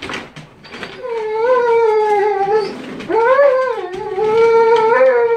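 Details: Cronus, a Golden Age Cane Corso, during bite sleeve work showing K911 Level 3 training control and discipline, gives a loud, sustained, wavering whine in two long tonal stretches with a short dip between, indoors.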